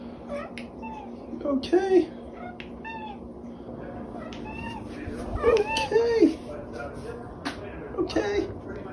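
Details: The OK Cat, a female pet cat who went viral in May 2021, meows in a way that sounds like "okay": short arched meows near two seconds and again around five to six seconds, with a person talking between them indoors.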